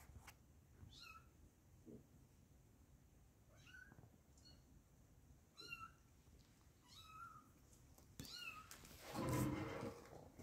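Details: Small kittens mewing repeatedly, thin high cries each about a second apart, ending with a loud rustling burst of noise near the close.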